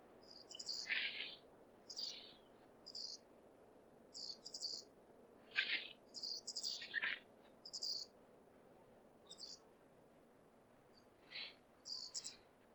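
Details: Wild flying squirrel from Hokkaido, a male calling in breeding season to draw a female: shrill, piercing squeaks and descending chirps in uneven groups with pauses of a second or more, against a soft background hiss.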